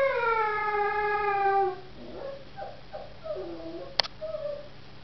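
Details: Howling Samoyed pups: one long, steady, slightly falling tone lasting nearly two seconds, then soft, faint whimpers and a single sharp click.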